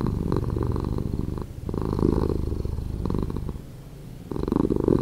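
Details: Purring house cat played back slowed: a rough, buzzing low rumble that fades softer around the middle, then strengthens again near the end.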